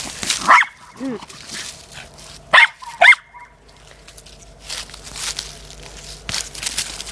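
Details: Corgi bitch playing with her soccer ball gives three sharp, bright barks: one early, then a close pair. A brief whiny sound and background scuffling and rustling of play fill the gaps.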